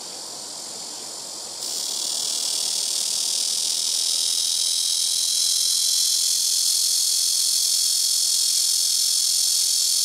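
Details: Blackish cicadas calling noisily from trees around a rooftop, taking turns: a steady, shrill electric buzz starting softer, jumping in loudness at about one and a half seconds, then droning on unbroken to the end.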